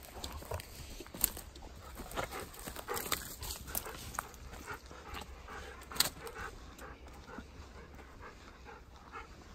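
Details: Haku, a ten-year-old Golden Retriever, walks toward a field outdoors and pants steadily in quick breathy bursts that repeat throughout, with a few louder huffs.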